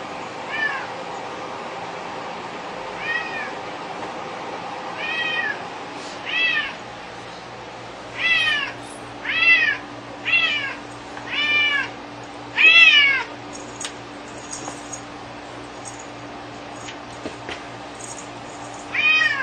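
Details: Domestic cat fixated on a piece of string it plays with, giving a string of short arched meows with rich harmonics, spaced irregularly over the clip, louder and closer together in the middle, over a steady low indoor hum.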